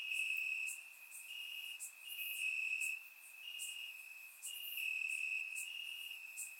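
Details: Crickets chirping in grass on a warm summer night in Bulgaria, captured with a surround microphone: a steady high trill with pulsing bursts swelling and fading every second or so, many insects overlapping, no other sounds.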